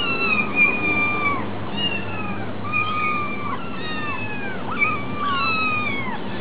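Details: Hungry kitten at a cat cafe meowing over and over, wavering harmonic meows that rise then fall, several overlapping, about three or four a second at peaks, with a low steady hum underneath.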